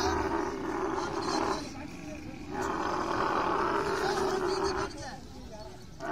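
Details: Camel during mating, giving long, loud, harmonic roaring bellows in two sustained bursts separated by a short quieter gap, with rough noisy texture throughout.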